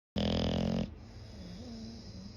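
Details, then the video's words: Sleeping English bulldog snoring like a human: one loud, rattling, buzzy snore lasting under a second, followed by quieter low wheezy breathing. "bulldog snores like hooman"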